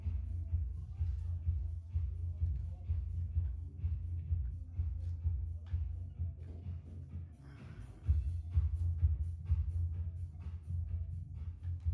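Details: Thumping electronic dance music with faint speech underneath; no animal sound is heard.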